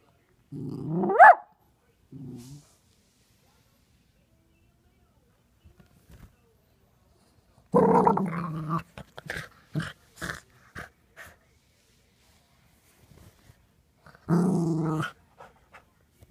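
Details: Playful growls from Brody, a six-month-old Miniature Poodle puppy, during peek-a-boo: a rising growl-whine near the start, a short rumble, then two longer growling bursts with scattered clicks and shuffling.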